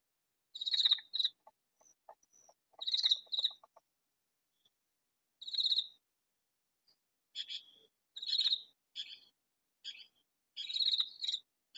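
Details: A katydid calling loudly, hidden in a vegetable garden, gives harsh, buzzy rasps in short bursts, repeated at an uneven pace.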